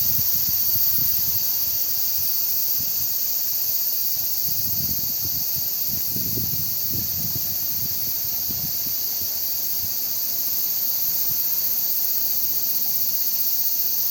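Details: Cicadas in Yotsuike Park: a steady, high-pitched droning hiss that holds without a break throughout, with soft low gusts of wind rumbling underneath, strongest around the middle.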